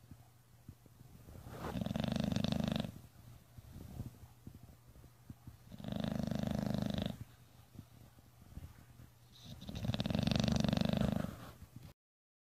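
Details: Bulldogs asleep during a snoring competition at My Second Home in Dubai, October 2015. Three long, rasping snores each last about a second and repeat roughly every four seconds, with a faint steady hum in between.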